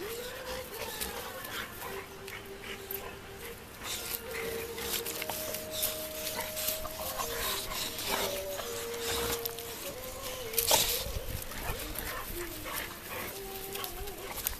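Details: Young Bullmastiff and puppy at play: drawn-out, high, steady whines at shifting pitches run through the clip, with rustling scuffles and a sharp bump near the tenth second.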